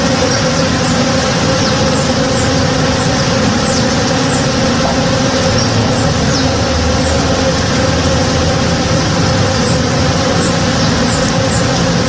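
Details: Morning backyard with honey bees busy in a flowering tree: an unbroken, thick droning hum of many wings, evenly loud, with brief high bird chirps scattered across the upper range.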